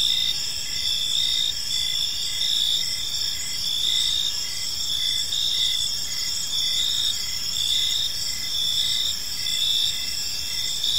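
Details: Park crickets at evening keep up an unbroken, high, ringing trill, with regular short chirps beating steadily beneath it and a soft low rumble in the background.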